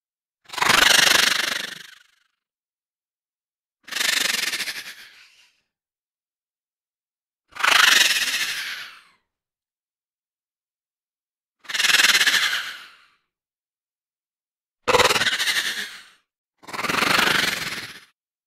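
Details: A horse gives six coarse, rasping moans, each swelling then trailing off over about a second and a half, repeated every three to four seconds, the last two close together; nothing else audible.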